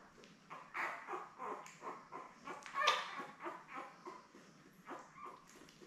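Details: Newborn Labrador Retriever puppies, a litter of seven born May 24, 2021, with their mother Belle on a live puppy cam: a run of short, high whimpering squeaks repeated roughly twice a second, rising to a louder squeal midway.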